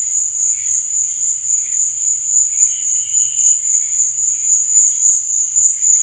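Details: Night-time cricket chirping, a continuous shrill trill held at a single high pitch, with soft wavering lower tones and a gentle pulsing in loudness.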